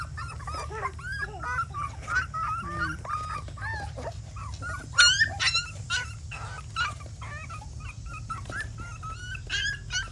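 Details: Dog whining and yipping in quick, high squeaks that rise and fall, nearly unbroken for ten seconds, with a low constant hum underneath.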